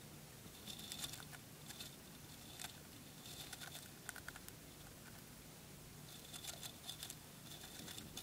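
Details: A dwarf hamster nibbles spray millet, producing soft bursts of dry crackling crunches in short clusters, with quieter pauses between bites over a faint constant indoor hum.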